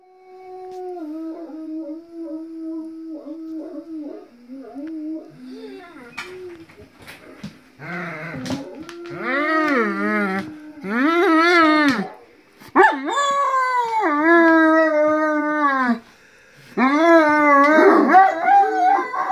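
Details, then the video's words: Dogs howling together indoors with their people joining in; a low, steady hummed tone opens the clip, then from about eight seconds overlapping wavering dog howls rise and fall in long drawn-out phrases with short breaks. "Howling dogs- wir heulen mit unseren Kumpels"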